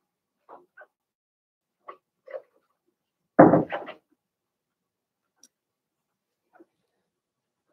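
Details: Indoor pen of young Blenheim Cavalier King Charles Spaniel puppies, Remy's first litter of six: thin squeaky whimpers at intervals, then one loud harsh yelp with a couple of following squeals, then quiet with a faint squeak near the end.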